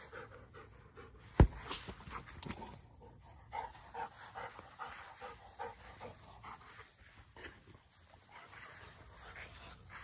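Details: Daisy, a Great Pyrenees puppy, pants during a soccer game; rapid soft breathy panting runs through the clip, with a sharp thump near the start and low rustling throughout.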